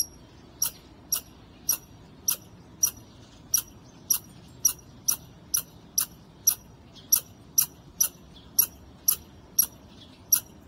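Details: A squirrel met by chance on a wall, very vocal, gives a long series of sharp, high, clicking chips, about two per second, some twenty in all, over quiet background.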